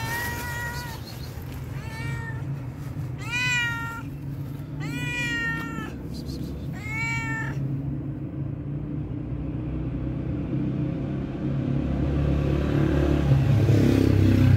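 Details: Hungry homeless cat asking for food meows five times within about seven seconds. Each meow is clear and bent, rising then falling. A low background rumble grows louder afterward.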